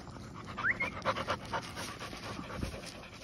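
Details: Pet Golden Retrievers at night: loud, rasping pants in rapid pulses, with a brief high squeaky whine near the start and a constant low hum behind.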